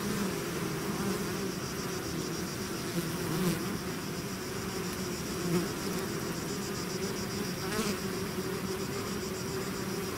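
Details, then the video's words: A bee swarm leaving its hive fills the air with a constant low drone; the buzzing swells briefly a few times as individual bees pass close, otherwise unbroken and steady. "bees therapy swarm natural buzzing sound"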